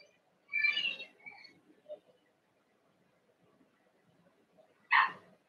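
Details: Cavalier King Charles Spaniel puppies, Ruby and Blenheim coats, born 06/09/2022 (Cooper, Conner, Jenny), on an overnight puppy cam on 8/27; a high, wavering whimper near the start, then a short sharp yelp near the end, in a quiet room.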